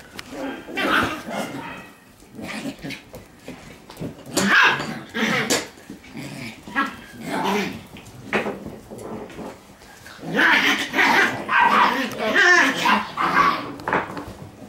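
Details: Shiba Inu puppies play-fighting in a growling contest all around; rough, noisy growls and yapping bursts come in irregular clusters, quieter gaps in the middle and a dense, louder run of snarling yaps toward the end.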